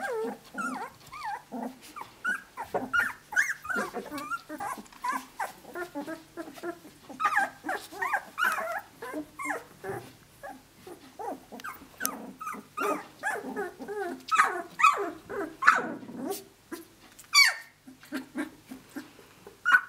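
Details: Litter of Australian Shepherd pups at 17 days, sired by Naishe out of Dazzle, beginning to walk and play; a steady busy chatter of many short squeaks, grunts, whimpers and little growls, dense and overlapping throughout.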